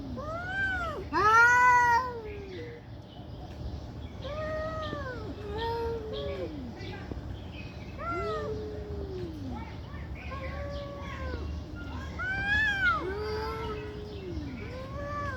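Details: Cats in a loud fight, angry and prolonged: a series of moaning, arched yowls repeated every second or two, one sharp high screech early on, overlapping wails throughout.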